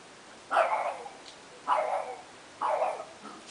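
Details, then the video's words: French Bulldog barking at another dog: three short, hoarse barks about one second apart over a steady background hiss. "ladrandole a MIKEL. BULLDOG FRANCES"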